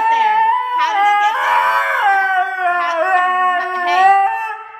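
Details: Blu, a pet Siberian Husky scolded indoors for hiding his Furminator, talks back in a wavering, yodel-like howl, pitch sliding up and down in rich harmonic bands, with a human voice overlapping.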